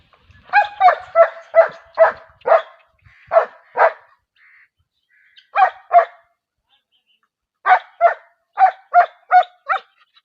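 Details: Dog barking in quick bursts of sharp, mid-pitched barks, about three a second, in clusters separated by short pauses; a brief quieter yip between groups, with no other sounds.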